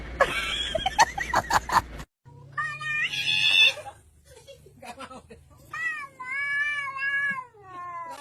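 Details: Cat making strange noises: rapid rough clicking yowls, then a wavering, strained meow, short broken calls, and finally a long, quavering, rising-and-falling caterwaul with a low steady hum underneath.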